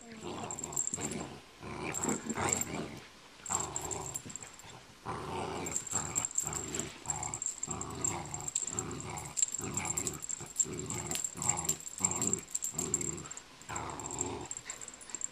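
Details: Honey, a pet dog, growls ferociously while playing tug with a pull toy indoors; low rumbling growls come in repeated bursts about every second, with short gaps between them and faint speech in the background.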